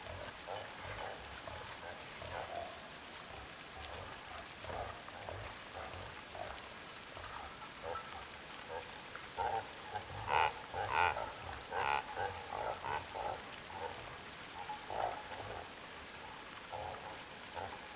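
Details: Reindeer graze in the wilderness, with soft crunching and tearing sounds and a few low grunts in a quiet outdoor setting.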